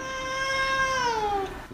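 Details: Baby cat giving a single drawn-out meow, clear and harmonic, held level for about a second and then sliding downward at the end, in a quiet indoor setting.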